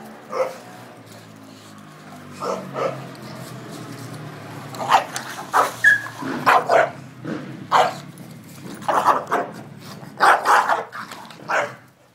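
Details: Bulldog with a bone chasing a bone-less Labrador in friendly play, the pair good buddies rather than fighting; repeated short barks and yaps sound in clusters through the second half, over faint background rumble.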